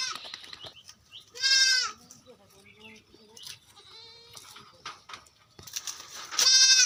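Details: Goats on a farm in West Bengal, India, bleating loudly in short quavering bursts, one near the middle and one at the end, with softer lower bleats and people talking in the background.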